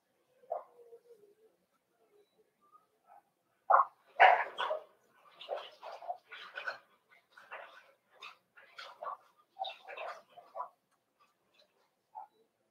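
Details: Cavalier King Charles Spaniel puppies in a breeder's puppy pen, meeting several of the kennel's older dogs for socialization; quiet, irregular bursts of short yips and barks, most crowded between four and eleven seconds.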